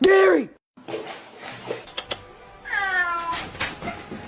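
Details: Domestic cat from a funny cat compilation giving a short arching meow, then a second higher, falling meow with rich overtones about two seconds later, with soft clicks and faint background sounds between the calls.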